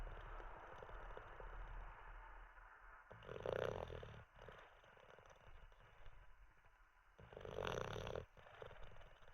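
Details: Olde English Bulldogge named Teddy dozing. Two rough, buzzing snores about four seconds apart, each lasting around a second, between quieter hissing breaths.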